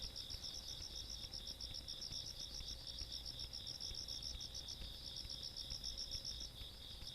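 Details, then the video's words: Several insects trilling on a country night, 17 August 2022. A dense, rapidly pulsing high chirp runs over a steady whining note, with the pulsed layer thinning toward the end and low background hum. "시골밤 벌레소리"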